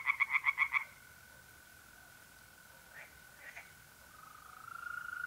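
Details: Tree frogs by a pond at night, north-east Italy, in April: five quick, loud nasal pulses open the recording, followed by a few soft scattered notes. Throughout, a steady, high mole cricket trill hums in the background.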